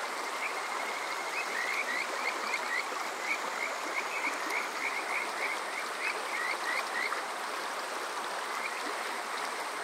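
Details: Kajika frogs at Yokoze in Saitama's Chichibu district on a summer night, giving clear whistled, slightly rising notes in a lively series over several seconds, with a rushing mountain stream behind.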